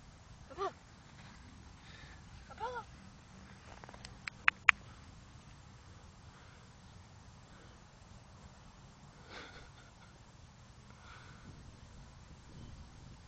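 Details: Apollo, a playful, very barky Shetland sheepdog puppy newly brought home in 2014, gives two short, high, rising-falling yelps a couple of seconds apart, followed by sharp clicks, soft sniffing and quiet indoor background.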